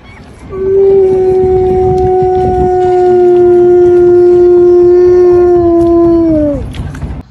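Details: Male dog howling on a boat: a single long, steady, loud howl held level for about six seconds, then dropping away at the end, with engine or wind rumble underneath.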